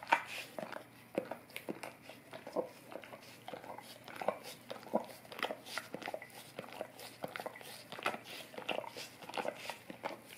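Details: Golden retriever tongue cleaning on an Orapup brush, recorded close in a small room; sharp wet clicks and slurping licks follow each other rapidly, with a few louder smacks standing out.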